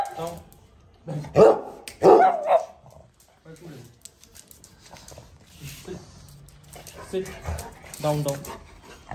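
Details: A male Pug named Micky, playing with his owner and filmed on an iPhone 13 Pro Max, lets out two short, harsh barks close together; softer voiced commands follow in the background.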